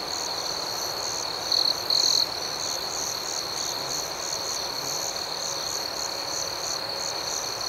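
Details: A chorus of crickets at night: a sustained high trill, with two short louder bursts near the two-second mark. Faster chirps pulse steadily in a higher layer throughout.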